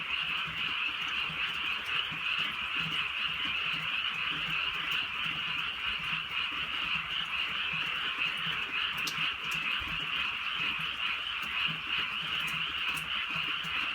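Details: Countryside night chorus of frogs during light rain, a continuous massed trilling drone holding steady, broken only by occasional crisp raindrop taps.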